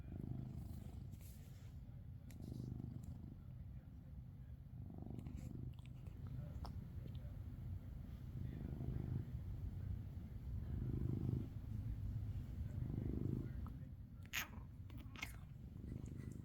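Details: Maine Coon cat Coco snoring, a softer low rumble rising and falling about every two to three seconds, louder near the middle, with a few sharp clicks and taps toward the end.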